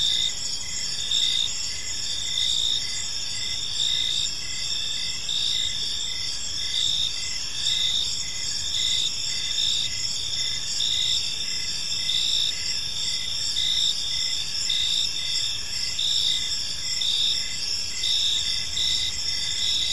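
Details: Evening park chorus of crickets, many insects trilling at once in high stacked tones, rhythmic pulses recurring roughly every second within a constant shimmering drone, light low-frequency rumble underneath.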